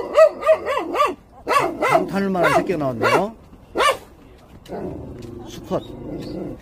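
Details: Jindo puppies in Korea give a quick series of high, arched yelps, then a drawn-out wavering whine. A lower, quieter stretch follows, with a man talking nearby.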